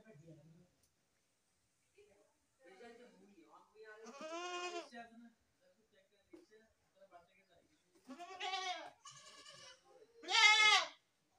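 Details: Three separate goat bleats, the last the loudest and most strained, each a shaky nasal cry lasting about half a second, with soft human speech and pauses of quiet between them.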